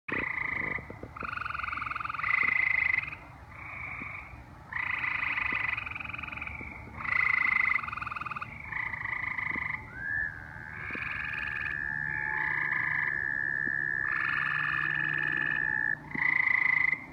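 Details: In Indiana in summertime, tree frogs give bursts of harsh, pulsing calls, then an American toad joins in with a long, steady musical trill; recorded on a phone.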